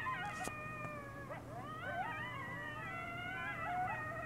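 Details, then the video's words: Wild pack of coyotes howling at night on Devils Night: several overlapping long, wavering howls sliding up and down in pitch, layered into a continuous chorus with yips, against low background hum. "Howling tonight!!!"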